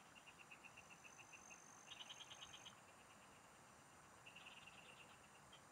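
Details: Field frogs singing while an angler fishes: a slow series of evenly spaced clicks, then a louder quick rattling burst, a pause, and another rattle, against a thin high whine and steady insect buzz.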